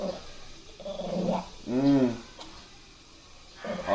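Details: Angry Shih Tzu growling during grooming: short rough grumbles, then one loud arched harmonic growl lasting under half a second, followed by quiet and a final rising growl.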